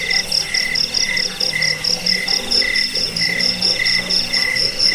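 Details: Crickets in full chorus, a sound meant for chasing away rats, bedtime listening and tutoring birds; short bright chirps pulse about twice a second above a steady shrill hum, with faint lower warbling underneath.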